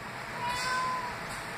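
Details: Domestic male cat that rarely meows, talking back to its owner indoors: a single soft, tonal meow lasting about half a second, fairly level in pitch, with a quiet room hiss and a woman's voice speaking before and after.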